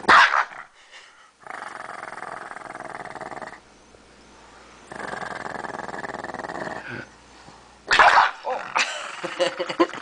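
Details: Lucky, a pet dog, growls angrily while two people take his bone: two sustained rumbling growls of about two seconds each, separated by a quiet pause, then a sharp burst and scuffling noise at the end.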